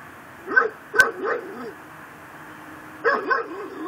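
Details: Pit bull tied to a post in a yard in Chalmette, Louisiana, barking at midnight on December 24, 2012: a quick run of three or four hoarse barks with a sharp click among them, then a pause and two more barks.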